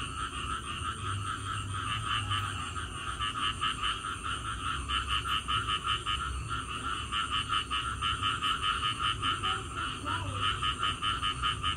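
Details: Frogs calling after rain: a dense chorus of rapid, pulsed calls repeating about two and a half times per second, with a steady high insect-like hum above and low rumbling background noise.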